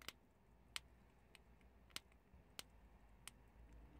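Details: Prairie dogs eating chickpeas: sharp, dry crunching clicks as the peas are bitten, six distinct cracks spaced irregularly about half a second to a second apart over a quiet, low background hiss.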